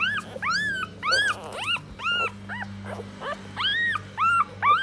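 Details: Nursing puppies, four in all, squealing as their mother feeds and licks them clean; loud repeated arched whines and yelps, roughly two per second, some rising sharply, with a low steady hum beneath.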